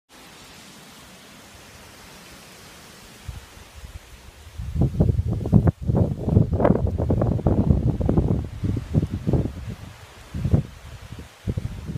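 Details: Outdoors in the sun between rain showers, quiet hiss gives way to bursts of wind and rustling with no animal voice.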